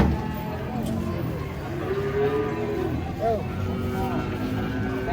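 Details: Giant cattle being unloaded from a truck: a drawn-out, mid-pitched moo of about a second, followed by a short rising bleat-like call, with people talking and crowd noise throughout.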